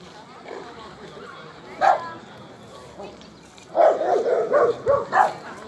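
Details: Border Collie named Alde competing in a Rally-Obedience G1 class trial: one sharp bark, a pause, then a quick burst of five barks near the end, over faint background talk.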